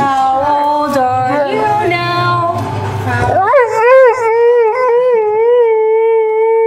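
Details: Bella, a Bullmastiff, gets soulful while people sing Happy Birthday before a birthday cake is cut. Human singing and talk are indoors at first, then a long, sustained howl rises and holds, wavering steadily to the end.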